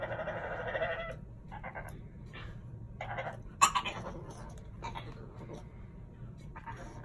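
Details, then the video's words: French Bulldog making a dolphin-like noise: several short, nasal, squeaky bursts with a bleating quality, repeated in uneven spurts over a low steady background hum. "Why Does My French Bulldog Sound Like A Dolphin?"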